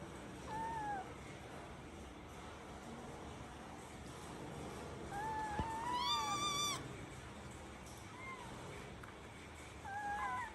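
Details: Mother cat nursing her kitten; four thin, high meows, short falling cries at the start and end with a longer wavering, rising cry in the middle, over a steady background hiss.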